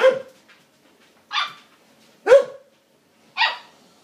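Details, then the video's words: Lady, a young Siberian Husky, vocalizes while attempting to befriend a border collie and get it to play; four separate barky yelps spaced about a second apart, some with a bending, whiny pitch. "Brave little talking Siberian husky puppy attempts to make"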